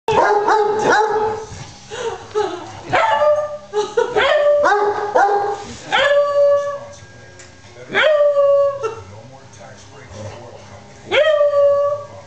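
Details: Beagle puppy Maggie Mae playing with her friend Tramp, a hound dog: bursts of loud, ringing yelps and baying barks, each sliding downward in pitch, coming in quick clusters separated by brief pauses, over faint background music.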